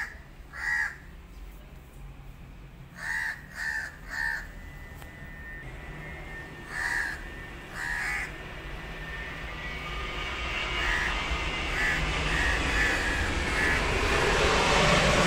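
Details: Abandoned male kitten taken in by a family meows in scattered short bursts, several in quick succession, before a broad rushing noise swells and covers the later, fainter cries.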